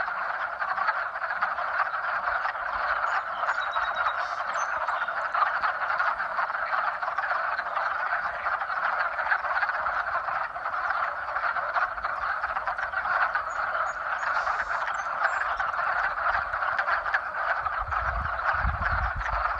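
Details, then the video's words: Many frogs croaking together in spring to attract mates: a thick, even, ceaseless chorus of rapid pulsed calls, with a low thud near the end. "Frog Mating Sounds"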